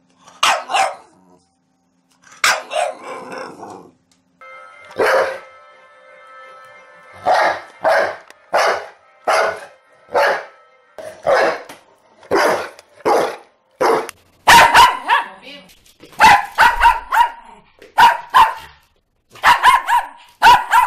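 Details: Domestic dog barking in a series of short, sharp yaps, about one every second, growing faster and louder toward the end, with a faint steady tone underneath in the middle stretch.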